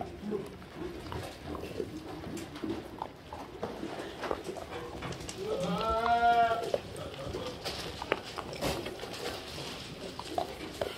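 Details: Black goats in a farm barn at Sangdong-myeon, Gimhae, South Gyeongnam, South Korea, eating their evening feed in the afternoon of 30 January 2022. A single drawn-out, wavering bleat rises mid-clip over steady rustling and clatter of feeding.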